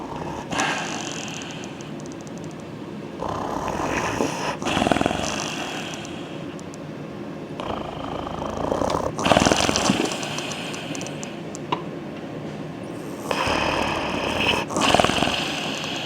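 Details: German Shepherd asleep at home after a day of heavy activity, lying down to sleep; rough, breathy snores come in broad noisy bursts about every three to four seconds, with quieter breathing between.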